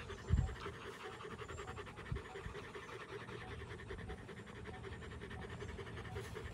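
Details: After fighting, a Rottweiler family pants in quick, even breaths, with a couple of brief low thumps near the start and again around two seconds.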